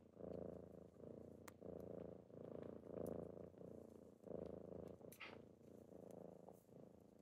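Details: Kittens purr in the morning while waking someone, a continuous throaty rumble pulsing in breath cycles of about a second, with a brief higher squeak near the end and light rustling.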